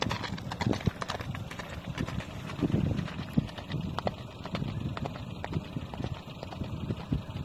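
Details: A horse travelling with its rider from Timişoara to Alba Iulia in Romania: a steady run of dull hoof clops on the road, with a constant rumble of traffic or wind throughout.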